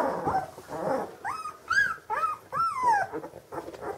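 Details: Vizsla, a hunting dog from old working lines at a breeding kennel, gives a run of high, drawn-out whines that arch up and fall away, several in quick succession, with softer breathy whimpers before them.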